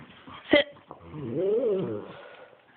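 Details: Max the pug, indoors, gives a drawn-out, moaning, meow-like call that rises and then falls over about half a second, after a brief sharp sound and some faint background noise.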